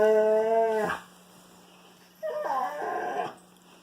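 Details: Wolfdog playing with a Kangal puppy: a steady, clear, harmonic whine held for nearly a second, then after a pause a second wavering, bending vocal note lasting about a second, with little other background sound.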